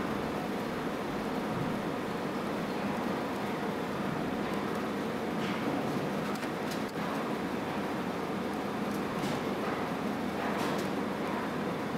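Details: Dense broadband rumbling noise throughout, like machinery or traffic, with a few faint clicks and no distinct calls.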